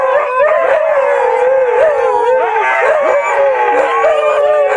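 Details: Chorus of six Siberian Huskies howling together, many drawn-out voices bending up and down over one another, some wavering and some steady, forming a thick unbroken wall of howls throughout.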